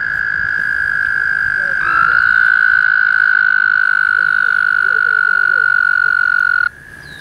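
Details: Pond frogs near Woodstock, New York, calling in early May mating season; a sustained high trill swells louder and holds for about five seconds, with softer overlapping chirps from other callers beneath, then stops abruptly.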